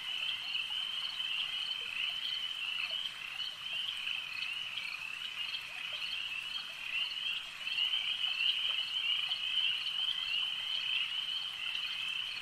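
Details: Lakeside frog chorus of many animals calling together, a continuous high trilling band with loose pulses around ninety per minute, swelling slightly louder in the second half.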